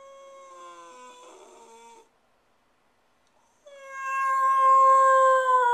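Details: Stewart, a spoiled pet dog left alone at home for ten minutes, howls in long sustained tones, one fading after two seconds, a pause of silence, then a louder, higher wavering howl.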